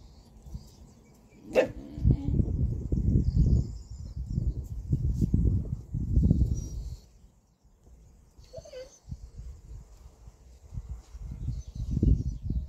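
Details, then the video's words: Three Polish Hunting Dogs living with a cat, reacting to it indoors: bursts of deep, rough barks and growling sounds in clusters, loudest early and again near the end, a brief high squeak midway and low background rumble. "Gończy Polski i kot - Polish Hunting Dog and a cat"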